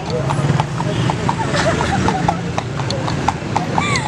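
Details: Horse being ridden around the fruit market in Berastagi, hooves clip-clopping in a quick, steady beat of sharp knocks, while people chat and laugh close by throughout.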